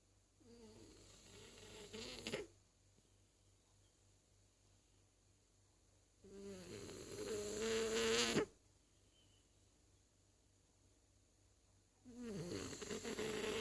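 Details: Zazie, a French Bulldog, snoring in three long rasping bursts of about two seconds each, separated by quiet pauses of several seconds; the breaths carry a buzzy, nasal tone.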